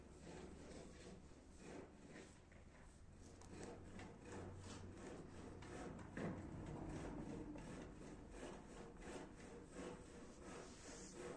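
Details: Cat purring close up, a steady rasping, sawing rumble of rapid low pulses with a rhythmic swell and fade, louder around the middle, and faint rustling throughout.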